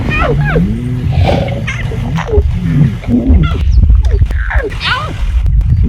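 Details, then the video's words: Lion cubs in Mara North Conservancy, Maasai Mara, Kenya, giving raspy squeaks: scattered short whining, wavering calls with rising and falling pitch, mixed with low rumble and occasional clicks. "The Hoarse Squeaks of River Pride Lion Cubs"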